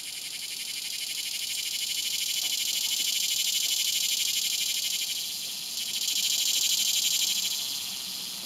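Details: Swamp cicada, Neotibicen tibicen, producing a loud, rapidly pulsing high buzz that swells, dips briefly near the middle, then surges louder again before easing off.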